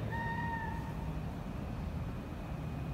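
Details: Mother cat at a Vietnamese cat meat shop where her kittens are held, giving one short, steady, level meow under a second long, followed by low rumbling noise.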